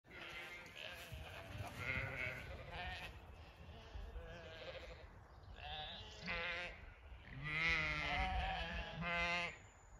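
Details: Zwartbles ewes on a regenerative farm in County Kilkenny, Ireland, calling out at evening feeding time; several overlapping wavering bleats of varied pitch, with low rumbling noise beneath.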